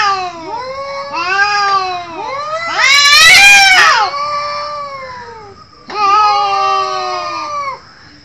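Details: Cats in a fight, with wailing yowls that bend up and down, building to a loud rasping screech in the middle, then a final long moan after a brief pause.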